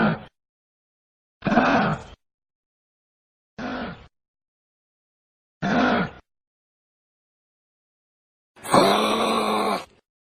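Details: Angry kangaroo giving short, throaty grunts about every two seconds, four in a row, followed by a longer, harsher, drawn-out groaning grunt, with silence between calls.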